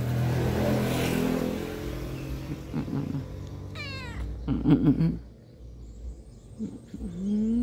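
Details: A black cat resting on a person's belly gives a short harmonic meow near the middle, with a brief higher chirp just before it, over steady low rumbling background noise.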